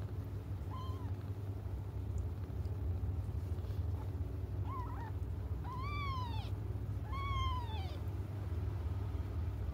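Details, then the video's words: Crying cats waiting for their mother give a faint meow, then three louder, drawn-out, arching meows in quick succession near the end, with a constant low rumbling hum behind. "until their mom comes just stop crying 😭"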